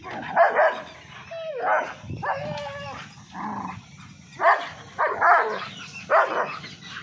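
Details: German Shepherd facing two Labradors, aggressive and angry: a run of loud, harsh barks in uneven bursts, roughly one a second, with a rising-falling yelping whine in the middle of the sequence.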